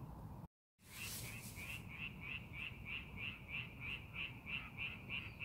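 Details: Frogs calling in a rice paddy being prepared for farming, set against a fine landscape: rapid, evenly repeated rasping croaks about three per second, beginning after a brief gap of silence and a short burst of broadband noise, over low rumbling background.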